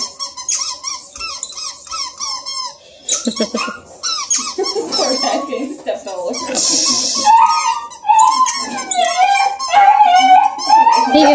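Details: Bluetick and Redbone Coonhound puppies playing and jumping on one another near Kingston, Ontario, Canada: squeaky yelps and whines come first, then a break, then longer sliding whines, while a woman talks over them.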